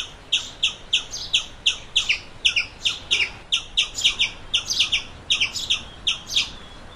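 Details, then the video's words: A squirrel gives sharp, squeaky chirps in a steady run, about three per second, some doubled, over a faint background hiss; recorded in Massachusetts. "squirrel sounds"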